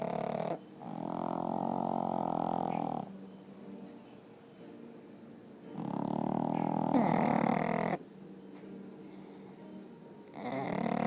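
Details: Two pet pugs asleep in bed, snoring: long, rasping, droning snores of about two to three seconds each, returning roughly every four to five seconds, with quieter breathing in between.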